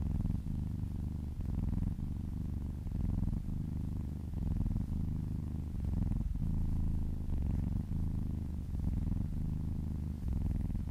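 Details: Happy domestic cat purring during a relaxing massage: continuous deep rumbling purr with rhythmic breath-by-breath pulses, one short break midway, no other sounds.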